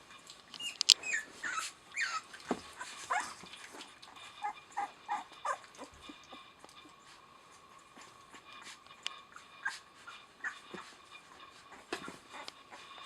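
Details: Rosalie's puppies, eleven days old with eyes just opened, giving thin high squeaks and whimpering squeals, busiest in the first few seconds, then scattered soft peeps with faint shuffling and rustling between them.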